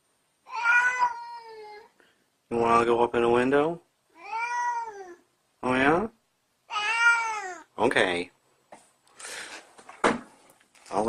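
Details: Domestic cat giving a rapid run of loud, clear meows, some rising and some bending downward, with brief gaps and a few clicks and bumps between calls.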